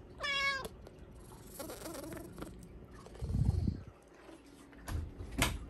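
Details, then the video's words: Hua, a pet Bengal cat, meows indoors begging for a supper of Japanese cod sticks: one clear harmonic meow near the start, then thumps, rustling and low handling noises. "Cat's eating Japanese cod sticks with adorable voice"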